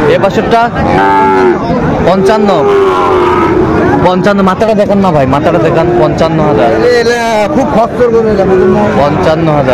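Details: Young Sahiwal bulls at a cattle market, 4 February 2025, as a Dhaka farmer collects calves; loud wavering moos with rising and falling pitch repeat through the stretch, mixed with men talking and clattering noise.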